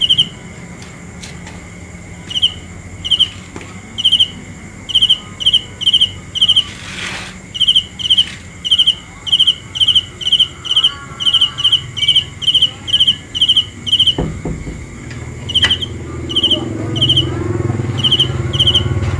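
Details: Cricket, known in Hmong as kab ciliv and in Lao as maeng chi nai, chirping in quick trilled bursts about twice a second, high and even in pitch, with a few thumps, a brief rushing noise midway and a low rumble toward the end.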